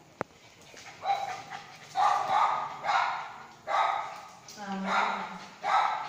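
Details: Playing Lhasa Apso giving five or six separate tonal yaps and whining barks at uneven gaps, one with a wavering, lower whine, plus a sharp click near the start.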